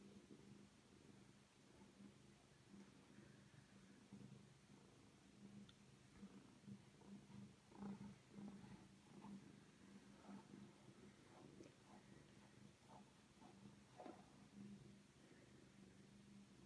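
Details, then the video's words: Domestic cat purring steadily while being brushed and held like a baby indoors, a low continuous rumbling hum with soft brushing strokes and small rustles throughout. "Cat loves getting brushed"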